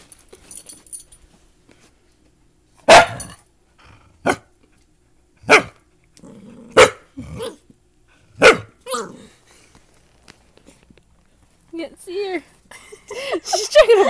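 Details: Dachshund puppy barking for the first time while playing with a big mutt dog that is teaching it to bark: sharp, loud single barks spaced about one to two seconds apart, then softer whiny yelps and human voices near the end.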